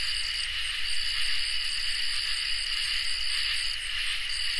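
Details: Crickets and katydids singing together on a summer night: a steady, even high-pitched trill at a middle-high pitch runs without a break, with a fainter, still higher shimmering band above it. No other sounds.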